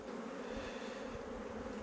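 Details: Western honey bee colony humming steadily while a beekeeper lifts frames out during a spring hive inspection; an even, droning buzz with a low steady pitch and no breaks, and faint handling noise underneath.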